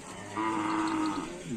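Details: Cattle at a karapan sapi bull race event in Indonesia, a single steady low moo with a clear tone and rich overtones, lasting about a second, over a faint crowd murmur.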